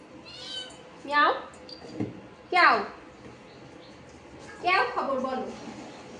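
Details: Domestic cat indoors, climbing onto a person's back while they work; several drawn-out, falling meows with rich harmonics, three main calls over six seconds, with a woman speaking Bengali softly in the background.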